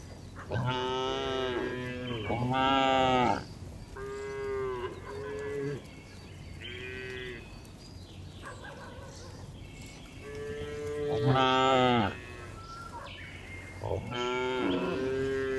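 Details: Tame cows on a village farm, herded every afternoon as they walk back to the barn, low voices rising into harmonic moos, about six drawn-out calls from several animals overlapping, some short, some over a second long.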